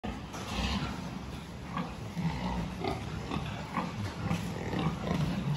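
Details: Pigs at a farm during a health check on 26 October 2023, giving low, rough grunts scattered through a busy barn din, with clattering and human voices mixed in.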